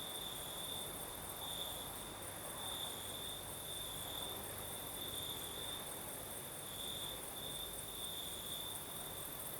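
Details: Crickets singing on a southern Crimean night with a light night breeze: a steady high trilling band pulsing in long bursts, with a fainter very high shimmering layer of other insects above and a soft broad rush of breeze underneath.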